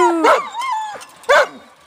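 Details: Alaskan Malamute giving short, harmonic woo-woo calls: a bright rising-falling yelp, a drawn-out wavering moan, then another sharp arched yelp near the end, with quiet pauses between.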